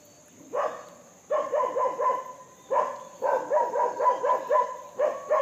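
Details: Monkey calling while being fed: bursts of short, harsh, repeated barking chatters in quick runs of four to eight notes, separated by brief pauses, with a steady high electrical whine in the background.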